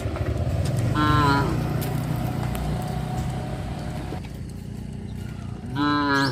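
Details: Village cows heading along the road to the pen in the afternoon on a traditional farm; a short moo near the start and a stronger rising harmonic moo at the end, over a constant low engine-like hum.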